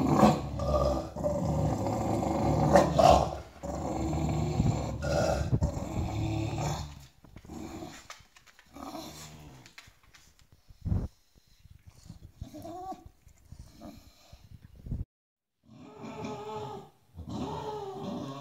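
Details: Bulldog demanding a spot on the bed from the other dogs indoors: long, deep, continuous rumbling growl for about seven seconds, then scattered short grumbles and rising-falling whiny moans separated by quiet gaps.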